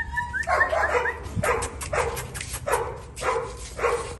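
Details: Husky puppy in Delhi gives short, high yelping barks repeated roughly every half second, with a thin whine at the start and some faint background noise.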